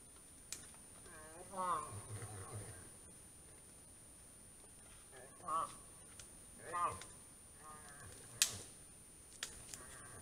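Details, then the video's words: A moose in the autumn rut gives short, wavering, nasal, moan-like calls separated by pauses, with a few sharp clicks. "Как кричит лось на реву.Гон лося звук.Голос лося на гону"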